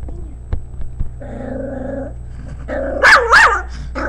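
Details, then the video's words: A female Pomeranian barking at her own image on a screen gives a drawn-out whine, then sharp, high yapping barks that rise and fall quickly. "super cute pomeranian dog barking at its picture on the screen"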